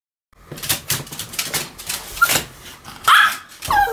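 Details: Sam and Marin, two Pomeranians, yap in a duet. Short high barks come in quick succession, with a louder sharp yelp near the end.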